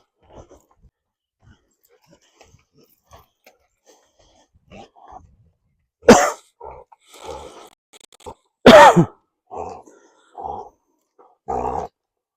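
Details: A dog having a sneezing fit gives two sharp, explosive sneezes a few seconds apart, followed by shorter snorts, with soft snuffling before them.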